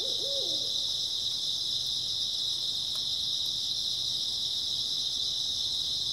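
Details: Early autumn night chorus of grass insects, unbroken, shrill and high-pitched throughout, with a single short low quavering hoot near the start and a faint click later.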